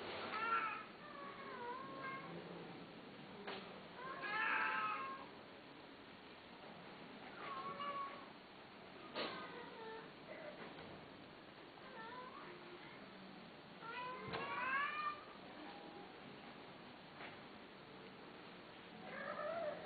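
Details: Male domestic cats meowing: a run of clear, harmonic-rich meows, some rising then falling, others short and chirpy, coming every second or two with brief quieter gaps, against a low steady background hiss.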